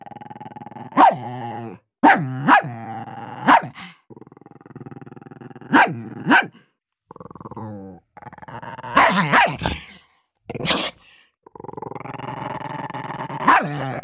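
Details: Dog barking and growling while fighting over food: sharp barks spaced about a second apart, then long rumbling growls with harmonic bands, a burst of snarling near nine seconds and a final bark.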